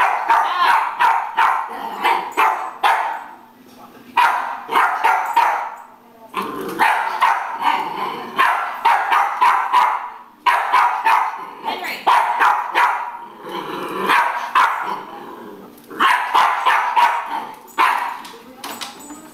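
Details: Jack Russell Terrier barking at a broom over an extended stretch, excited volleys of sharp yappy barks repeated in clusters with short gaps between runs.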